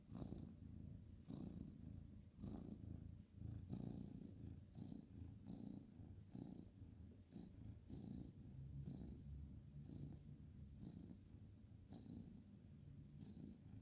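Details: Bedtime petting of a male ginger tabby cat indoors, 2/11/2023; a long, low, rattling purr rising and falling with each breath, around one swell per second, a light hiss on every inhale and exhale.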